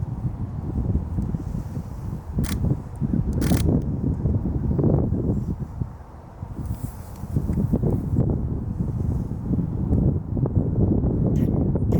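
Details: Only low wind rumble and handling noise with a few sharp knocks; no animal voice stands out.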